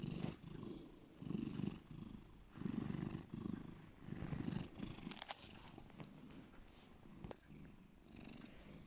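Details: Pet cat named Bear giving a deep purr, low throbbing bursts pulsing with each breath roughly every second and a half, softening toward the end, with a couple of sharp clicks.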